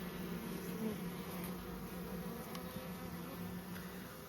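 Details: Western honey bees from a very small second swarm in May, loaded into a Mini Plus hive and slowly walking in; continuous low buzzing drone with a steady hum throughout and faint ticking.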